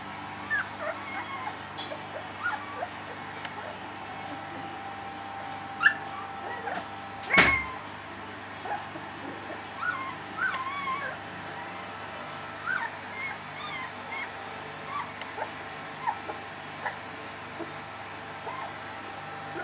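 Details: Three-week-old puppies of a litter, several whimpering and squeaking in short high wavering cries scattered through the recording, with one loud sharp yelp midway over a steady low hum.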